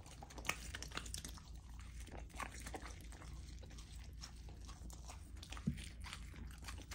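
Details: Female Golden Retriever puppy Lilo eating raw chicken and sockeye salmon inside; rhythmic biting and crunching in quick bursts, wet slurpy chewing underneath, a sharp crack near the start and another toward the end.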